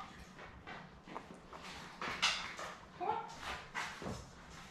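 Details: Labrador Retriever puppies only days old, seven in the litter, with mother Belle in a small indoor room: short squeaky whimpers and one thin rising whine, repeated in quick uneven bursts over a faint background hum.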